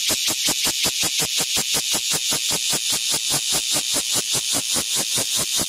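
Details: Cicada calling loudly on a window, close to the recorder: a harsh, high-pitched buzzing broken into rapid, even pulses, about four to five per second, steady throughout with no other sounds.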